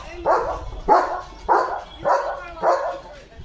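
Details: Leo, a German Shepherd, on an evening walk through green countryside in Maharashtra. He gives five loud, even barks, one about every 0.6 seconds.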